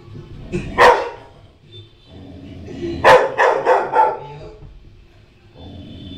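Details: A female Rottweiler puppy, startled while watching herself on TV, gives a single sharp bark, then a quick burst of several yapping barks.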